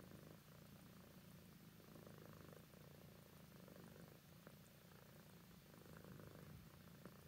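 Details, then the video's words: Purring from Minx, a roughly ten-year-old adopted tabby cat, drowsy and cuddled close; a quiet, even, low-pitched rumble runs throughout, with faint light clicks over a hushed background. "Meet Minx The Cute Tabby Cat! Part 2 Purring"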